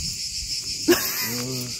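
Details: Cicadas singing beside a small church on Brač island, Croatia: a steady, hissing high-pitched drone throughout, broken by a sharp click just before the middle, then a man's voice speaking over the buzz.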